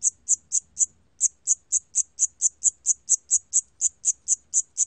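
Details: Cricket (샴귀뚜라미), a 2020 recording from the National Institute of Biological Resources: sharp, high-pitched chirps repeated about four times a second, with one short pause near the start before the even series resumes.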